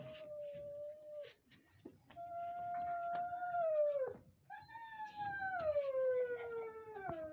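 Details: Siberian Husky puppies, Lahore, Pakistan, howling loudly: a series of sustained tonal howls, the last one longest, starting high and sliding steadily downward for nearly three seconds, strong harmonics throughout, faint room noise underneath.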